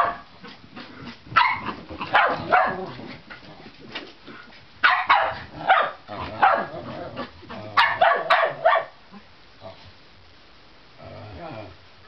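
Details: Two Shetland Sheepdogs, Juno and Razumu, at play as Juno barks to goad the other into a chase; clustered sharp barks in several bursts, with quieter scuffling and faint background sounds between them.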